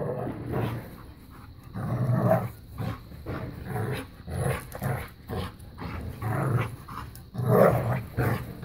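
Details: A new puppy and a five-year-old black lab pitbull named Bella playing keep away and tug of war; low, rough growls come in rumbling bursts every second or two, with short gaps of quiet between them.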